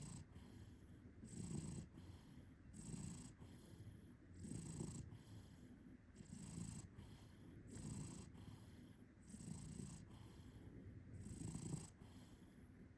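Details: Cat purring while snoring, a quiet low rumbling purr that swells and fades in steady breathing cycles under a second long, with a faint hiss throughout.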